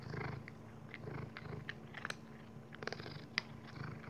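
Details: Purring Maine Coon, Dexter, at mealtime with kibbles; a strong low purr opens the clip, then fades as crisp crunching and clicking chews take over.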